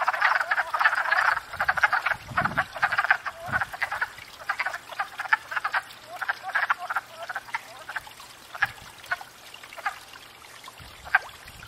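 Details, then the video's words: Wood frogs gathered at a pond in spring after thawing out, calling to court and breed: a dense chorus of rapid, duck-like clucking croaks that overlap heavily for the first four seconds, then thin into scattered bursts, with a few soft low thumps. "Wood Frogs"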